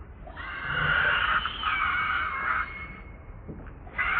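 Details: Pitiful, sustained crying from a hungry baby monkey named Leo pleading with its mother for milk; one long, strained, harmonic wail holding steady for about two seconds, fading, then starting again.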